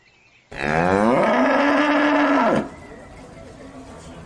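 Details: Cow, one of several breeds, giving a single loud, steady, deep moo lasting about two seconds that swells in quickly and cuts off sharply, followed by quiet background.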